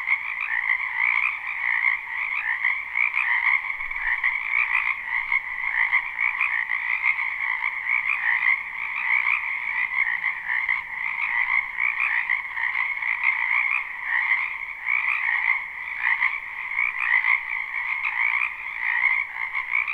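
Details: Spring wetland frog chorus recorded live with no looping, behind a house: countless frogs croak together in an unbroken, buzzing wall of sound, gently pulsing in loudness over twenty seconds.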